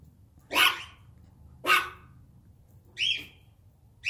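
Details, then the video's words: Excited German Shepherd barking while annoying its puppies: four sharp, loud barks about a second or more apart, each a short harsh burst, over a quiet indoor background. "Funniest German Shepherd Barking & Annoying My Puppies"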